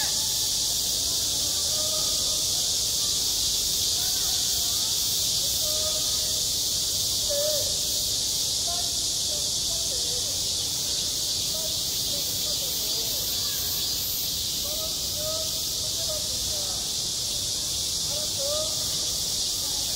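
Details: Summer cicada chorus over a school playground, a loud continuous shrill buzz without pauses, while children's voices chatter faintly and intermittently in the background.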